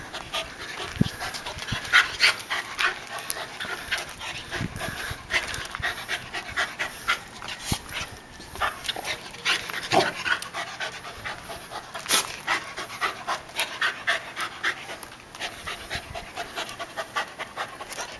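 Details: On Guam, the dog Eve, a rescued stray of unknown breed, pants quickly while meeting a coconut crab in a backyard. Hissy breath pulses come several times a second in a steady but uneven rhythm, with faint background noise.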